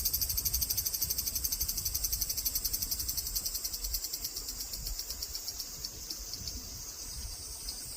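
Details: Large brown cicada singing: a sizzling, high-pitched buzz pulsing about four times a second, loud at first and then fading to a steadier, quieter hiss over eight seconds, with low rumbling background noise.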